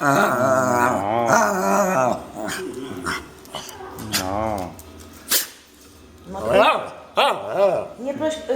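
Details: Dog that can beg on command, making drawn-out, rising and falling whining, moaning sounds in several bursts while a person coaxes it in Polish, asking it to beg and offering to go outside.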